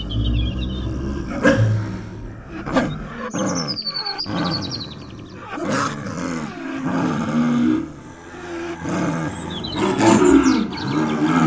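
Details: Snow leopard said to be calling in the wild among mountain rocks: a string of low, throaty, moaning calls repeated over about eleven seconds, with faint high bird chirps in the background.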